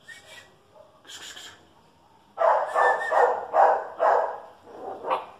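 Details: A Chihuahua and a dachshund face off. One faint, distant yap comes first, then a run of five or six loud, sharp barks in quick succession, roughly two per second.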